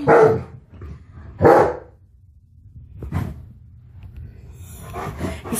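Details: Tonka, a pet Alaskan Malamute indoors, barks at a mannequin head he has never seen before. Two loud, throaty barking bursts come about 1.5 seconds apart, then a fainter bark near three seconds, and a woman talks to him at the end.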